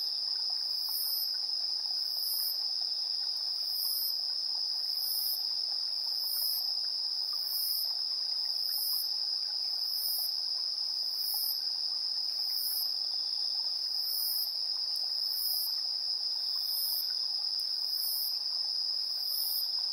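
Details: Insects chirping at 7:04 PM on 3 September 2022, captured with a TASCAM Portacapture X8's built-in AB stereo mics: a steady, high, unbroken trill, overlaid by a very high pulsed chirp repeating about every 1.3 seconds.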